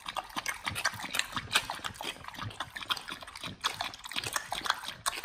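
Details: Dogs eating raw chicken breast and duck feet, recorded close for ASMR: loud, rapid wet smacking and crunching bites packed tightly together.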